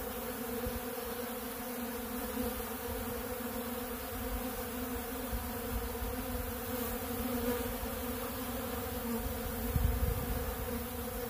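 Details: Honeybees working a big blue pollen feeder stocked with ultra bee pollen; an even, low droning buzz from the crowd of insects, with a short louder knock near ten seconds.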